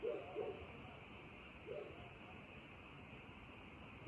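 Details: Night frog chorus with a few brief, low croaking notes, two close together at the start and another about a second later, set against a constant high hum.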